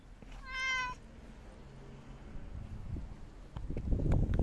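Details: Talkative ginger tabby cat giving one short, steady harmonic meow near the start, followed by quiet indoor rustling and low thumping.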